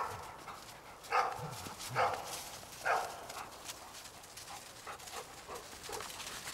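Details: Eight-week-old Old English Sheepdog puppies romp in a cold garden with their parents on New Year's Day 2009, giving a run of three loud yappy barks about a second apart, then softer yips and rustling.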